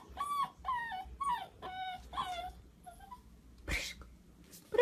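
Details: Corgi named Прыжик, a short-legged pet dog, whining and squeaking: a run of high, tonal whimpers with bending pitch, each about half a second and repeated roughly every second, then a brief noisy burst and a man's voice nearby.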